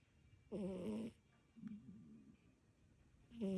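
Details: Sleeping tabby cat named Kiki indoors, suddenly snoring: a loud tonal snore around half a second to one second, a softer wavering snore after, and another loud snore starting at the end, in a quiet room.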